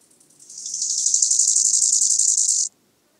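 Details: Bow-winged grasshopper singing in Hanfeld, Germany, on 19 September 2021: a single high, dry buzzing phrase of rapid pulses that swells in loudness over about two seconds, then stops abruptly, with quiet background otherwise.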